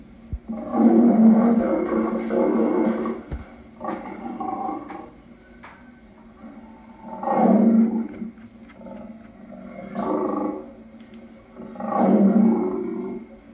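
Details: Lion giving a series of deep, rough roaring grunts in four main bursts, each swelling and fading over one to two seconds, with quieter breathy grunts between them.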